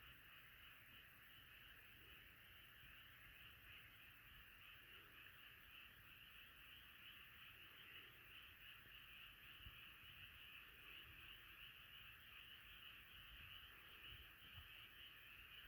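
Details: Massed frogs in full chorus, their overlapping croaks fusing into a constant pulsing drone that holds steady throughout, with faint soft lower thumps now and then.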